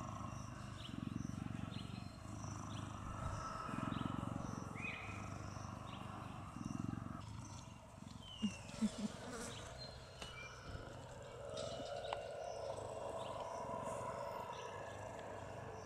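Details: A female cheetah purring while lying beside a person during a resting siesta at a cheetah experience in 2014; a low, rough, pulsing rumble in bursts every couple of seconds, with faint chirping birds and rustling around it.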